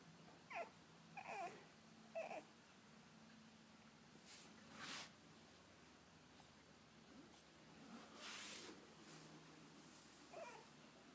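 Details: French Bulldog puppies indoors, giving short whiny squeals and whimpers in brief bursts, several in the first two seconds and another near the end, with soft rustling and hissy bursts of background noise between them.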